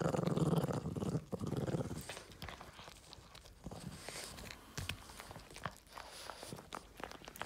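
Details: Boston Terrier named Yoda getting a treat, opening with a loud, low rumbling growl of about two seconds, then only soft clicks, licking-like ticks and quiet room sounds.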